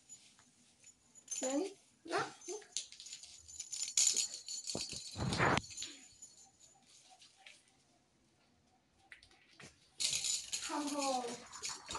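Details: Reunited after months apart, a male house cat receives gifts and treats and gives wavering meows early on, then a falling drawn-out meow near the end, over crinkling wrappers and human voices in a room.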